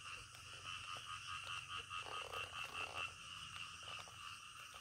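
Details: Frogs calling in the middle of the night: rough, rasping croaks repeated in uneven bursts, loudest around the middle, over a steady high-pitched ringing chorus and a low continuous hum.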